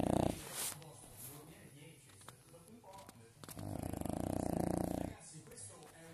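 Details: A sleeping French Bulldog (Canis lupus familiaris) snores with a rough, rattling breath that swells into one long, buzzy snore.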